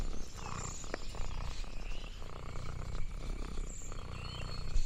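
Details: Contented purrs of Lexi, an orange tabby cat wandering a farm: a continuous low vibrating drone in even breath cycles, joined by faint high bird-like chirps and a brief sharp tap.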